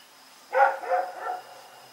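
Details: One loud rough bark from Rex, a dog dashing about at night on Oct 7, 2018, trails into two softer, fading woofs against a faint constant high hum.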